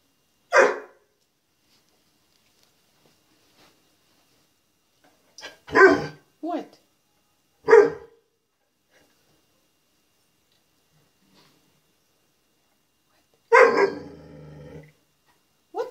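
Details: Penny, a young female dog in a walk-in closet, barking at herself in the mirror: five or six short, sharp barks spaced irregularly over sixteen seconds, the last one trailing into a longer, lower sound, with silence between.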